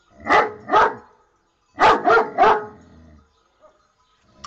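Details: Dog barking loudly: two barks, a short pause, then three more in quick succession, followed by near silence.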